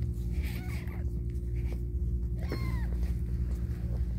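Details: Domestic cat named Caramel during a difficult birth indoors, one kitten born with a foot disability; two short high mewing calls, the first faint near the start, the second clearer, rising then falling, over a steady low hum and light rustling.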